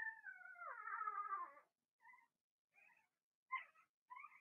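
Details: Young Blenheim Cavalier King Charles Spaniel puppies from a litter of six, indoors in a puppy pen; a long high wavering whine slides downward, followed by short tonal whimpers at intervals.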